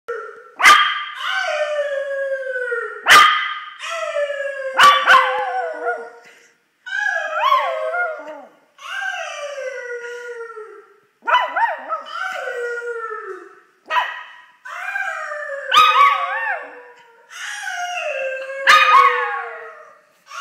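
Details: Pepper, a pet dog, barking and howling at Callum: sharp broadband barks followed by drawn-out falling howls with rich harmonics, alternating roughly every two to three seconds throughout.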